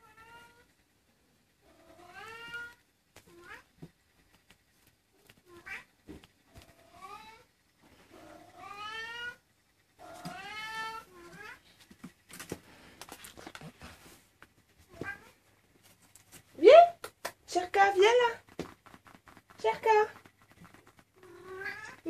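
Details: Maine Coon kittens, 23 days old, indoors: thin, high harmonic meows, each rising then falling, repeated in short bursts with pauses, several kittens overlapping near the end in louder, wavering cries.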